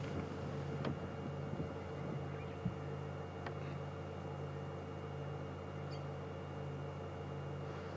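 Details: Steady low engine rumble from an idling vehicle, with a few faint clicks and knocks and no animal voices.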